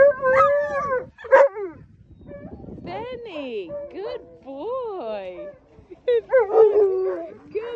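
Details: At sled dog land training in Long Sault, Ontario, two Alaskan Malamutes and a Labrador Retriever howl excitedly before their turn to run. Short arching howls and yelps alternate with brief quiet gaps, and bursts of overlapping voices return near the end.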